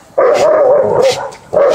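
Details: Dogo and Rottweiler dogs in a confrontation; a loud, sustained, wavering tonal whine lasts over a second, then a second one starts.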